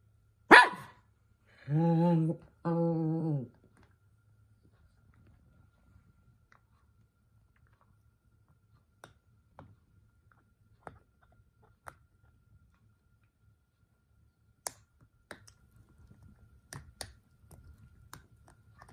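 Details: Toy Poodle Minato, the eldest son, indoors, carried away and making a racket before his sister snaps at him: one sharp yap, then two drawn-out harmonic barking cries in a row, followed by quiet room clicks and faint tapping.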